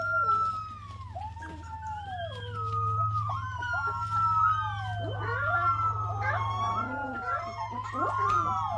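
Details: A golden retriever puppy "singing", howling in long, wavering notes that slide up and down over a steady low hum.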